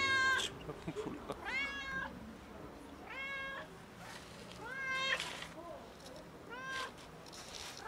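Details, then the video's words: Fluffy house cat loudly begging for food with a string of five clear meows, each short and bending downward at the end, spaced irregularly one to two seconds apart over low room noise. "Loudly Meowing Fluffy Cat Asks for Food"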